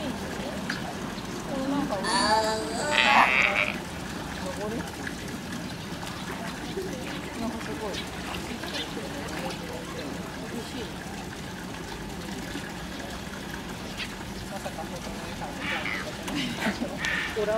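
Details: A California sea lion pup at a zoo in June gives a loud, hoarse, bleating call, possibly calling its mother anxiously while climbing a rock, with people chatting nearby.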